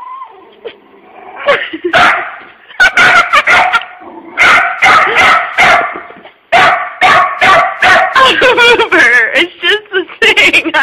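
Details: Puppy barking at a puppy-shaped tissue holder it finds scary while its owner talks to it soothingly; rapid bursts of sharp barks and yips mixed with calm human speech throughout.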